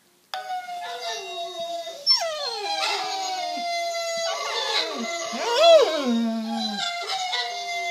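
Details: Several German shorthaired pointers howling together while listening to recordings of themselves howling; overlapping sustained wavering howls with sliding pitch, rising and falling through the clip.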